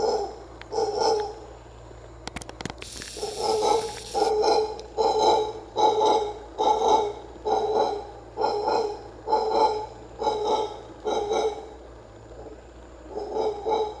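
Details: A wild howler monkey at the ancient Maya site of Comalcalco, Mexico, gives deep, hoarse roaring howls in rhythmic pulses about once a second.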